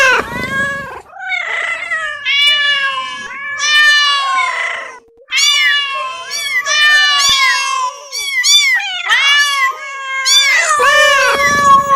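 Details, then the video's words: Domestic cats meowing almost continuously, with loud, drawn-out, harmonic wails layered over a steady lower tone, punctuated by short yowls and a breathy burst at the start and end. "listen to the sound Cat -meowing cat"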